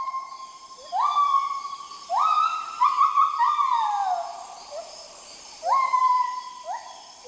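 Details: Adult male black gibbon calling at sunrise in the Mekong forests, marking the start of a new day; its song carries up to 7 km. Loud, sharply rising whooped notes, some held or falling, come in uneven bursts over quiet forest background.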